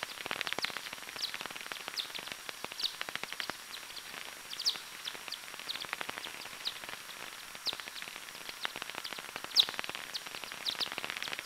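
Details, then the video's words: Daubenton's bat hunting over a small river near Plön, captured with a Pettersson heterodyne and time-expansion receiver: a dense, rapid stream of short clicking sweeps, irregularly spaced with occasional louder bursts, against a faint steady hiss. "myotis daubentonii - time expansion"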